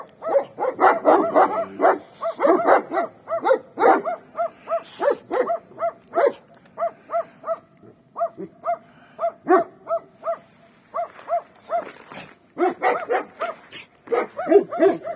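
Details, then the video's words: Free-range street dogs in winter, a few behind a fence, barking: a busy overlapping burst at first, then one dog's evenly spaced single barks roughly every half second, joined again by others toward the end. "Free range dogs barking on the street"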